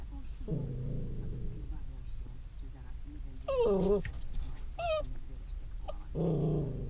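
A West Highland White Terrier grumbles low, then gives a wavering, high whine before grumbling again.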